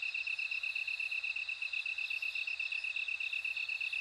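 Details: Bell cricket singing: a steady, fast train of high, bright chirping pulses, roughly two per second, with a fainter continuous ringing tone above and a soft, even hiss of other insects behind.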